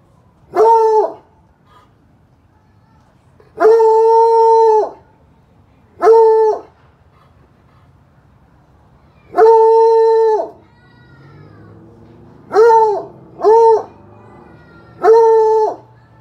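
A Bluetick Coonhound bays in long, steady, mournful notes, each held about a second, with pauses between.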